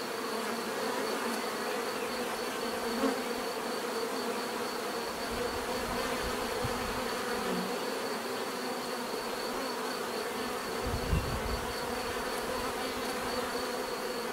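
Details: Many bees hum together in a constant, layered drone, a fine pulsing high whine over it, with a few short deeper bumps and rumbles, one sharper knock around the eleventh second.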